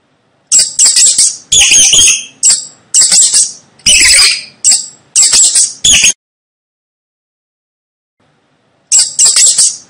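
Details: Rat squeaking in a rapid run of loud, shrill, high-pitched bursts, about eight packed into five seconds, then a pause of near silence before the squeaking starts again.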